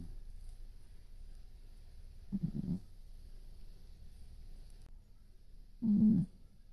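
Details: Domestic cat with a brown tabby coat dozes with open eyes. Two gravelly, low snores are heard several seconds apart, the second one louder, with soft room hiss in between.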